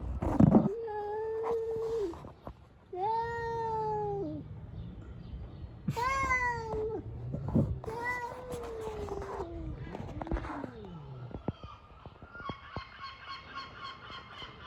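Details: Street cats fighting: a rapid series of five or six long, whining yowls, some rising then falling, overlapping with a growl-like low call, ending in fainter high squeaky sounds.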